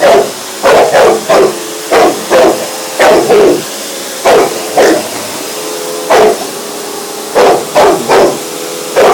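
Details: Pet Bullmastiff, one year old, barking at a hoover indoors: loud, deep barks in quick pairs and triplets, about a dozen over nine seconds, over the continuous whine of the running vacuum cleaner.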